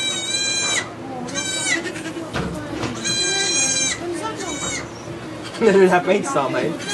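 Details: Birth of two baby goats at a Quebec sugar shack: four strong, quavering bleats with bright overtones arrive about every second in the first four seconds, over continuous French speech, then a lower bleat near the end.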